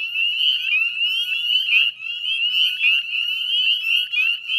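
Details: Dense chorus of northern spring peepers at dusk on 18 May 2020 beside the Chezzetcook salt marsh, West Chezzetcook, Nova Scotia, Canada: countless high, rising peeps overlapping continuously into a shrill, unbroken wall of sound.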